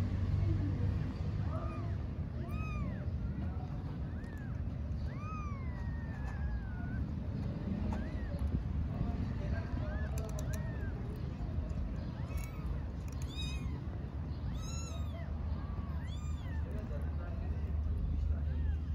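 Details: Street mother cat in Istanbul calling to her kittens, a run of many short, high, arching mews, some thin and squeaky, scattered across the stretch amid steady low urban rumble and occasional clicks.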